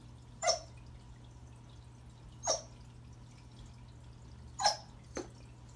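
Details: Christmas greeting from Remington, a Pembroke Welsh Corgi, toward a new toy under the tree: short, fairly high barks roughly every two seconds, with a fainter fourth bark, indoors over a low hum.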